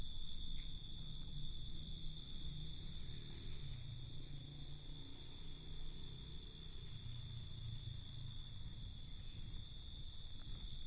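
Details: Crickets at night, a steady high-pitched chorus of continuous shrill trilling that pulses slightly, with a low rumbling background hum throughout.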